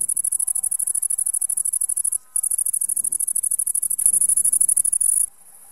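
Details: Great green bush-cricket singing outdoors: a very high, rapid buzzing chirr of fast pulses, with a brief break after two seconds, pausing near the end, with faint low background sounds.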